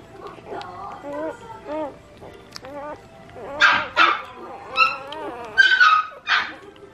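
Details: Ayame's Collie pups at two days old, 17 August 2022: wavering, nasal whines in slow runs, followed by louder, harsher squealing bursts that come in quick pulses.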